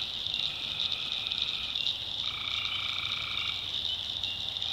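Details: Night chorus of tree frogs in a North Carolina backwoods swamp, a continuous shrill high trill overlaid by a lower droning call that swells in the second half and fades, with insects buzzing faintly.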